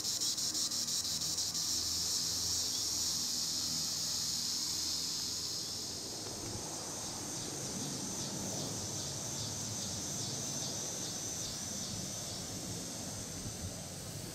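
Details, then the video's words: Green annual cicada (Tibicen linnei) singing in the treetops: a steady, shrill, high-pitched buzz that after about six seconds begins to throb in rapid regular pulses, over a low rumbling background noise. "Green Annual Cicada tibicen linnei (Cicadidae) sounds recording in the treetops"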